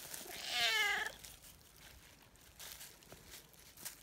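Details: Calico cat, a friendly community cat, calling eagerly while being petted and kneading happily: one clear meow about half a second long, falling in pitch, followed by soft rustling and handling sounds outdoors.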